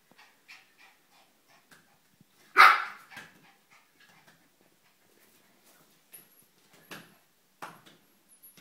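A Shiba Inu lets out one short, high-pitched bark that rings briefly and fades. Around it are only soft taps, clicks and light indoor shuffling.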